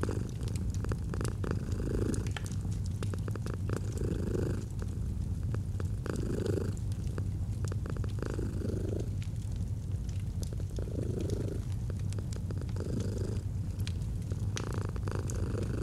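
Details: Deep, even rumbling purr from a domestic cat, inhale and exhale phases alternating every one to two seconds, with a fireplace crackling throughout, autumn ambience.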